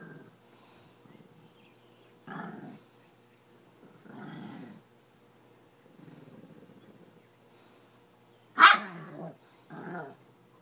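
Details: Two small dogs, a chihuahua and a Pekingese, playing just after swimming: short low rumbling growls in bursts about two seconds apart, with one sharper yelping bark near the end.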